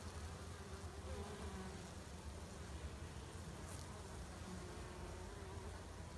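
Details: Hive entrance where honey bees perform washboarding, stepping back and forth across the front; continuous droning hum of the colony with occasional brief louder wingbeats passing by.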